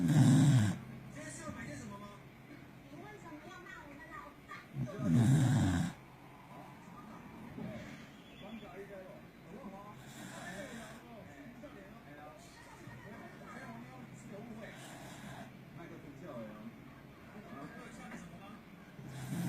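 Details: Deep snores come from 嘎逼, a Corgi asleep indoors. Two loud, low, rasping breaths open the recording about five seconds apart, then a long, softer stretch follows with only faint breathing and small noises.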